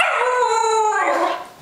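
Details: Happy, fluffy Pembroke Welsh Corgi chortling when its owner asks it to talk: a sustained, tuneful, howl-like vocal with rich stacked harmonics, holding steady then sliding downward and fading. The owner's voice is heard around it.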